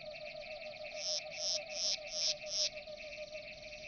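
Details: Grey bush-cricket recorded at Nesvady, Slovakia, on 22 July 2023: a high, dry chirp repeated about three times a second in a short series, over a steady background hum.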